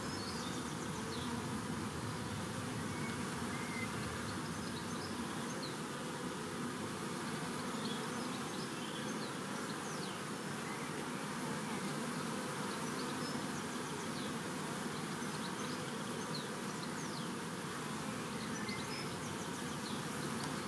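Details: A huge swarm of honeybees, part of a swarm collected on World Bee Day 2019, gives a continuous dense droning hum that holds steady throughout, with faint, brief bird chirps scattered high above.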